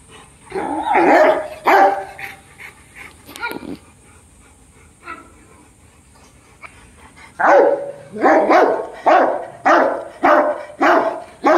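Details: Dogo Argentino family, Brutus and Roxy, barking: two loud barks, a pause with faint sounds, then a run of six fairly regular barks about two-thirds of a second apart.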